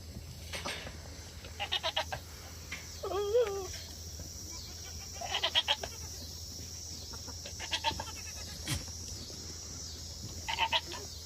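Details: Goats on a farm during the autumn rut breeding season, a buck with a bred doe while other does wait in an alley: a wavering, quavering bleat near the middle among short pulsed bursts of calling, with a steady low hum behind.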